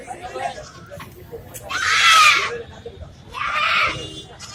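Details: A village goat at Erragadda market gives two loud, harsh, wavering bleats, each about a second long, over background chatter.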